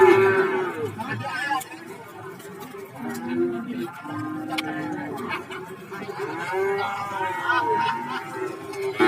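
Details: Several low, drawn-out moos overlap from cattle crowded together for sale at the Warujayeng livestock market in Nganjuk, calling on and off throughout, against a backdrop of clattering, voices and busy market noise.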